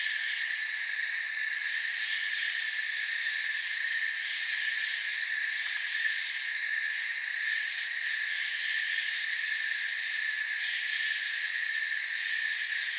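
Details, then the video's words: Crickets in a forest keep up a steady, ringing insect chorus of several shrill sustained tones, the upper layer flickering in soft pulses, evenly loud from start to finish. "Forest Sounds and Crickets"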